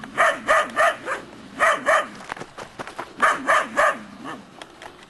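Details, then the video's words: Groenendael Belgian Shepherd puppies, three months old, barking at an unseen stranger as a display of guarding instinct; sharp high barks come in quick bursts of two to four, with short pauses between groups. "Pastor belga, cachorros."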